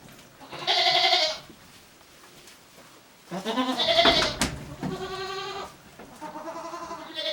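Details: Goats resting in a shed while ruminating on a handmade goat farm in Japan, 29 January 2023; loud harmonic bleats from several animals, one near the start, a longer wavering one mid-clip, more bleats following, with quiet shed rustling between.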